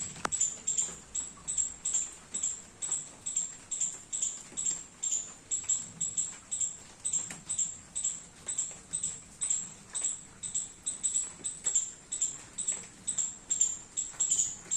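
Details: Squirrel enjoying the rain in a garden while eating baby coconuts gives a long series of thin, shrill chips at about two a second, fairly even in loudness, with a faint background patter.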